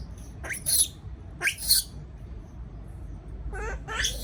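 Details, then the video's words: Baby monkey left alone in a cage, afraid. Three shrill bursts of squealing screams, each under half a second, with wavering harmonic cries near the end and short quiet gaps between them, over a low background rumble. "sound of monkey when affraid to be alone"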